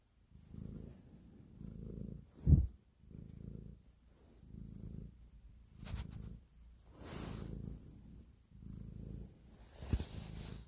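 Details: Cat purring while kneading, a sign of affection; low rumbling purr in regular breath-long bursts, punctuated by sharp clicks and knocks plus brief rustles of fur or fabric close to the microphone.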